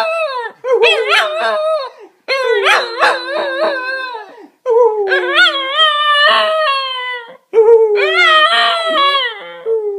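Cocker spaniels howl along in wavering, drawn-out phrases that sound almost like singing.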